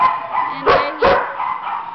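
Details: Young male Border Collie Spaniel mix up for adoption gives two short, sharp barks about a third of a second apart, with a person talking warmly before and after.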